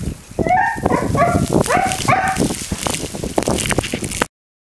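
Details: Siberian Husky Mica, the younger 'baby sister', protesting indoors during Blizzard Nemo in Belmont, Massachusetts, February 9, 2013, eager to go out in the snow; quick run of high wavering whines and yelps over thumping and rustling noise, ending abruptly.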